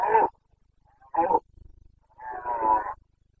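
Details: Carpathian red deer stag roaring during the rut in the Bucovina mountains, 29 September 2022: three loud, coarse, harmonic bellows, two short ones about a second apart, then a longer drawn-out roar, with a soft low grunting between them.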